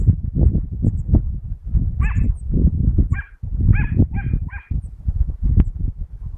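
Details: Dachshund (teckel) chasing rabbits on 22 August 2012: short, sharp yelping barks in a quick series, one around two seconds in and then four close together, over a constant low rumbling noise like wind or movement.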